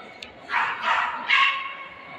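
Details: ['Löwchen, a little lion dog, giving three loud, bright barks, the first two close together and the third after a short pause, each a harsh burst with a faint squeak before them.']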